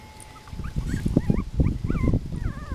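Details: Five-week-old Miniature Pinscher puppies at play and investigating, giving short rising and falling whistled whimpers in quick bursts over soft thumping and scuffling of small bodies.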